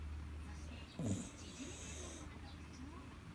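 An Akita dog snores with a deep, rumbling breath against a low steady hum.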